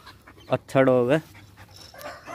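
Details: Angry pet pit bull kept tied up, fighting with its owner, gives one loud, drawn-out harmonic bark-whine on a low steady pitch that dips at the end, after a short sharp yelp; faint talking around.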